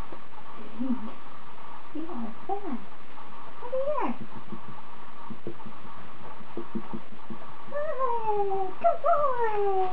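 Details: Bond, a 28-day-old Standard Poodle puppy, on his fourth day of training as a future service dog, gives short whimpers that swell into long, high whines sliding downward near the end, over a steady indoor hum.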